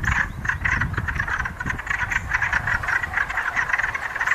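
A breeding chorus of wood frogs: overlapping, duck-like clucks and quacks calling for mates.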